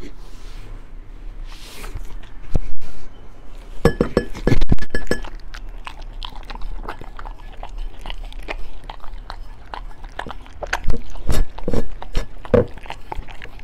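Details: Beagle eating raw food such as chicken drumstick, duck gizzard, pork liver, chicken breast, rabbit kidney, bell pepper and pumpkin jelly indoors; sharp crunching bites and wet chewing in irregular bursts, louder clusters around four and eleven seconds.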